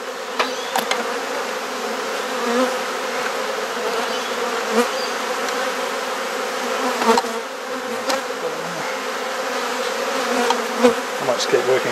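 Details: Steady droning hum of a honey bee colony while frames are swapped during a hive inspection in a Perth garden, Australia, with repeated sharp clicks and knocks of woodwork throughout.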